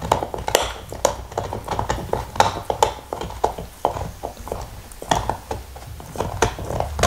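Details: Black Lab Nixon chewing a beef bone in a small room, recorded in 2019 without talking: sharp crackling bites and licking smacks come in quick uneven bursts, some louder cracks standing out.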